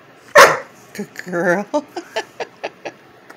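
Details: A female Vizsla gives a single sharp, loud bark on the speak command, followed by a person's praising voice.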